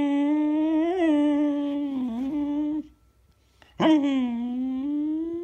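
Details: Indoor recording from February 19, 2016 of Eva the Beagle: a sustained, humming howl near three seconds long with slight wavers, a short quiet gap, then a sharp rising onset into another long, steady tone.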